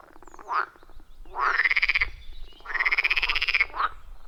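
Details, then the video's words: Wild frogs calling around a forest pond, recorded deep in the forest: long rattling, pulsed croaks that rise in pitch, two main bursts about a second each, with shorter croaks from other frogs between. "30 Minutes of Frog Sounds at a Forest Pond"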